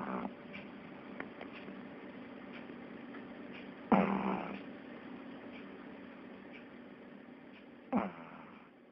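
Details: Sleeping pug's snoring comes as two rough, fluttering snorts roughly four seconds apart, each fading into a low drawn-out rasp, with quiet room hiss and faint ticks in between.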